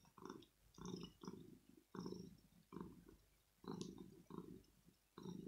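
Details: Kitten, male, wanting to be cuddled and petted early in the morning, maybe hungry too; low purr surging in rhythmic waves about every 0.8 seconds, with soft brushing noises.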